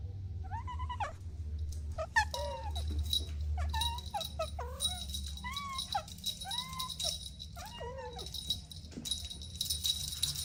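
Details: Soft, repeated kitten meows as kittens play with their mother and two siblings, about seven short arched calls, some rising and falling quickly, with a low steady hum and light rattling behind.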